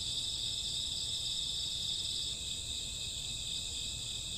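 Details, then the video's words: Night chorus of crickets and grassworms in summer or autumn: continuous shrill high trilling from many insects, unbroken and even throughout, with faint low hum beneath. "Cricket sound 2 hours, summer autumn night grassworm lullaby"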